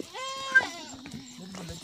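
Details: Himalayan goat in a forest at Munsyari, Uttarakhand, India: one clear, steady, drawn-out bleat, then a man's low voice urging the herd on.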